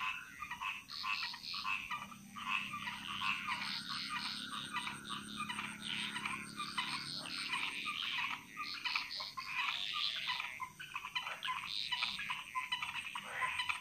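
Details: Dense frog chorus echoing through Bali jungle, many callers overlapping in continuous rattling, pulsed croaks with no pause across the whole stretch.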